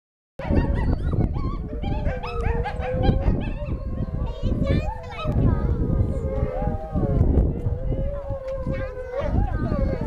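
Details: Gray wolves (Canis lupus) at a wolf park howl in chorus after coyotes started howling, long wavering tones overlapping and sliding up and down.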